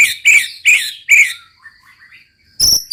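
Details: White-rumped shama in full song, likely caged; three loud buzzy chattering bursts a third of a second apart, then a soft run of falling whistled notes, ending with harsh high rasps.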